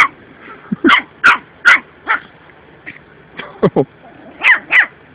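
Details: Playful puppy acting tough toward a cat: a string of about ten short, high yaps and yips at irregular spacing, some in quick pairs, with brief pauses between bursts and no other clear sounds.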